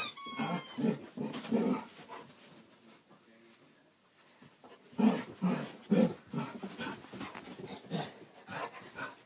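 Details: Two dogs, a dachshund and a basset hound, at play: a squeaky toy shrills briefly at the start, then short rumbling growls and snorting grunts repeat roughly twice a second, pause, and return in a dense rough cluster.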